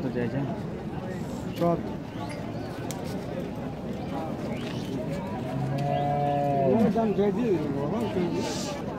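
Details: Cow brought for sale to Rajshahi City Haat cattle market in Bangladesh. A long, low, drawn-out moo with a steady, rich tone swells midway, then breaks off with a rougher wavering end, over constant crowd chatter and market bustle.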